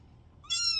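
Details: A kitten that seems to have got itself stuck lets out a brief, loud, bright meow with a flat, slightly rising pitch after near silence.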